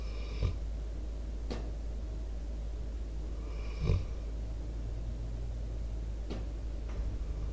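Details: Sleeping Pitbull Debo, four years old, an American Staffordshire Terrier mix, breathes and snores into a nearby microphone: two clear raspy snores about three seconds apart, with faint snorts between them, over a constant low background drone.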